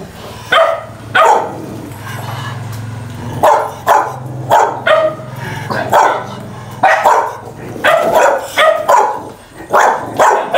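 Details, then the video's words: Dogs barking loudly as they fight, a rapid series of sharp barks repeated roughly every half second, with a low steady hum beneath. "Tiếng Chó Sủa Tiếng Chó Cắn Nhau tiếng Chó Sủa Ầm Ầm"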